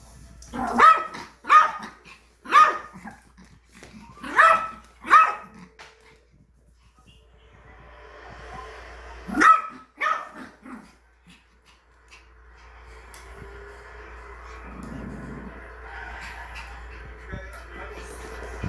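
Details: Angry Yorkshire Terrier barks at a new vacuum cleaner: several sharp barks in the first five seconds, a couple more near ten seconds, then a steady whirring machine noise fills the rest.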